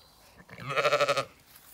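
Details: A Zwartbles ewe or lamb in a field on a County Kilkenny farm in Ireland gives one strong quavering bleat, its voice pulsing in rapid wobbles for about half a second.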